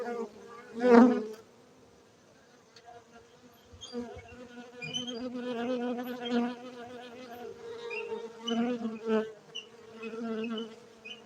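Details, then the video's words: Cultivated honey bees at a Gayo bee farm in Bener Meriah, Aceh, Indonesia: a loud close buzz at the start, a brief lull, then a continuous droning hum that rises and falls as bees pass. "Markaz lebah madu gayo Aceh Indonesia bener meriah"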